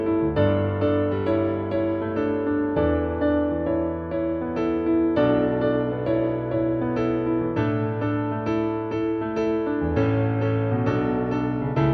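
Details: Soft electric piano music plays throughout, with sustained chords and no animal sounds.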